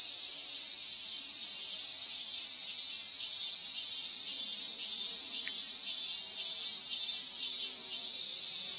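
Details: End-of-summer cicada chorus, recorded 19 August 2020, a dense unbroken high-pitched sizzle holding steady throughout and swelling slightly louder at the close.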